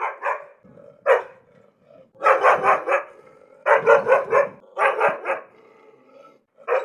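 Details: An angry dog gives single sharp barks, then rapid volleys of four or five harsh barks with brief gaps, and low growly undertones beneath some bursts.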